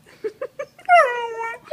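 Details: Sheprador pup, a male Australian Shepherd-Blue Heeler and Lab mix, at play indoors: three short soft grunts, then a clear drawn-out whine sliding down in pitch before fading into a final small grunt.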